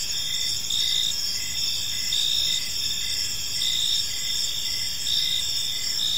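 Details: Evening park ambience of crickets: continuous shrill chirping in overlapping layers, short regular pulses about once a second on top of a sustained high ringing tone, soft low rumble underneath.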